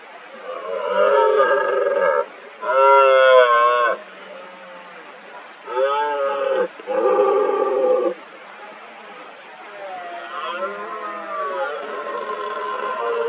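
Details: Red deer stags roaring during the 2023 rut, many stags together near an injured dominant stag: a series of loud, harmonic, drawn-out roars lasting one to two seconds each, separated by short pauses, with a quieter roar trailing off at the end.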